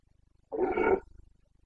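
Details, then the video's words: Carpathian red deer stag in Bucovina during the breeding season, 29 September 2022: a single short, hoarse roar of about half a second, rough and harmonic-rich, with a faint low rhythmic ticking in the background. "Boncănit / Carpathian stag Breeding season"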